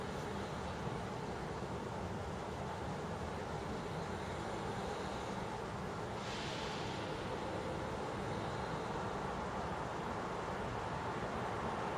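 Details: Bright piano-like keyboard music with repeated plucked notes fills the stretch, and no animal is heard.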